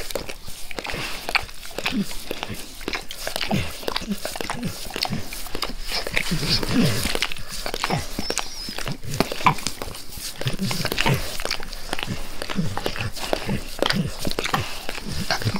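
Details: Continuous licking of a face by Max the dog, close and intimate with no speech: busy wet clicks and slurping, briefly louder and denser in the middle before settling into a steady rhythm.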